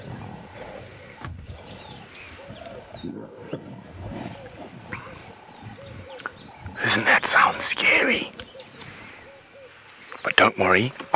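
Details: At sunset in Sabi Sand near Kruger Park, South Africa, on 13 February, lions feeding in the shade growl low and snarl harshly in loud bursts while fighting over a little piece of meat, with a person speaking quietly.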